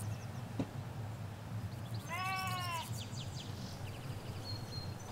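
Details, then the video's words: Sheep in a Hampshire countryside field, ewes with their lambs, recorded in stereo from a hedge: one clear harmonic bleat lasting under a second, wavering and slightly falling, over steady low rumble from a nearby road and faint birdsong. "4K Sheep Field - One Hour Sound and Video"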